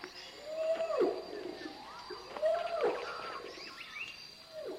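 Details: Bornean orangutan long call, an occasional loud call of adult males said to carry up to 2 miles through forest, from the first known recording of it, made by Biruté Mary Galdikas and Rod in Borneo: mid-pitched rising-falling sweeping calls repeating roughly every two seconds.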